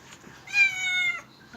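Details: A kitten at its first bath gives one clear, sustained meow lasting about two-thirds of a second, fairly level in pitch, in a small quiet room.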